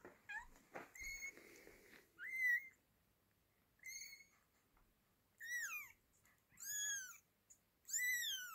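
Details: Kitten and mother cat as the mother takes her baby from a hand; a series of about six high, thin meows with rich overtones, each sliding downward, coming in short bursts every second or so, with a brief clatter early on in a quiet room.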